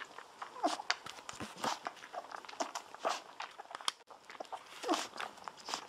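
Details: Golden Retriever puppies, day 17, lying on their backs indoors while drinking milk from a baby bottle; rapid wet suckling clicks throughout, with a couple of short high squeaks near the start and again near the end.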